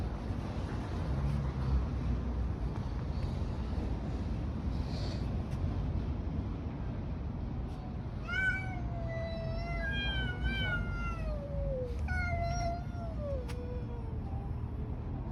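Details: Outdoor street scene with low rumbling noise for several seconds, then cats fighting break into a run of wavering yowls and descending moans in the second half.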